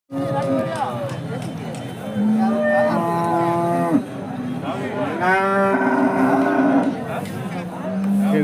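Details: Hallikar cattle at a temple cow market in India, several animals lowing in turn: long tonal moos, some rising then falling, overlapping one another above a steady murmur of crowd chatter.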